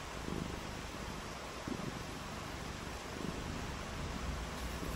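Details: Domestic cat on a rainy day, playing in the rain, purring in low rhythmic pulses that return about every one and a half seconds beneath a steady, dense hiss of falling rain.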